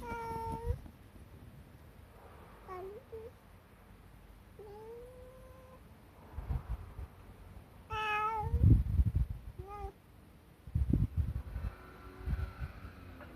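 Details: A friendly tabby cat, seen now and then, sits under a car and keeps meowing instead of moving away. It gives several clear, drawn-out meows, some rising and some level, over low rumbling background noise.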